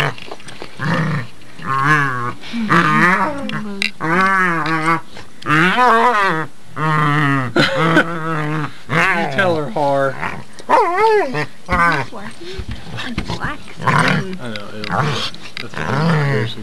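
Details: Two female pit bulls at play under a bed: a steady stream of warbling, throaty growls and moaning yowls that rise and fall, overlapping one another, with a man's voice and faint music at times.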